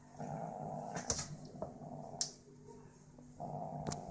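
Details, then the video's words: A 5-month-old British Shorthair cat gives a low, dog-like rumbling growl in drawn-out bursts, broken by sharp clicks. "British shorthair cat MiuMiu (5 months old) growling like a dog."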